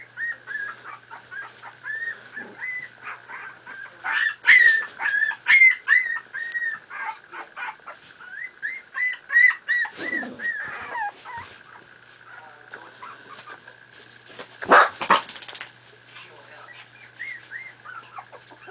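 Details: Several 4.5-week-old Miniature Pinscher puppies playing produce rapid series of shrill yips and squeaky whimpers, loudest in bursts near the start and middle, with rustling scuffles and a persistent faint tone beneath.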